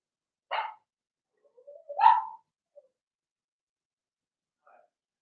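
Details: Young Blenheim Cavalier King Charles Spaniel puppies, Remy's litter, in their home pen: one short yelp, then a longer rising-and-falling whiny bark, and a faint squeak near the end.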